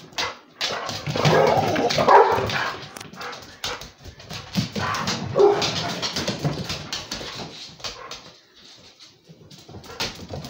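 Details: Beagle and Basset Hound mix romping with a pitbull, producing harsh growls and yelping barks in two loud surges, then quieter grumbles with scrabbling and clicking noises near the end.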